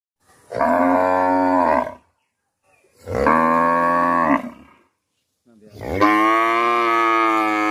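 A cow gives three long, loud moos, each lasting over a second with short pauses between.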